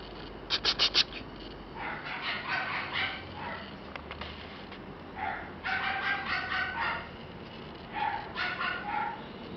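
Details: Female red Shiba Inu puppy at a Shiba breeder's kennel gives bursts of high, rapid yips and whiny barks: a tight cluster near the start, then longer yelping runs around two, six and eight seconds.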